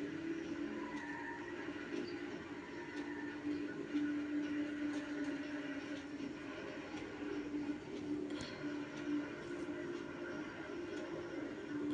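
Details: A steady low electrical hum fills a small room, with faint murmuring speech and scattered clicks, and no animal calls heard.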